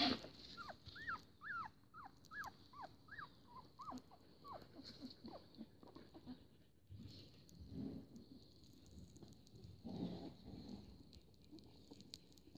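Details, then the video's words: Siberian Husky puppies at a breeding kennel, a litter including black-and-white and chocolate males, around the age their eyes begin to open; a quick run of squeaky rising-then-falling whimpers for five seconds, then quieter shuffling and faint yelps. "Щенки Сибирский Хаски"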